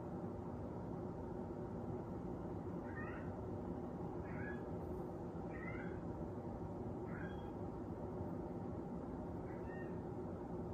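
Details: A Persian cat gives five short, faint, high meows, each a quick wavering note, spaced roughly one to two seconds apart. A loud steady low background hum runs throughout.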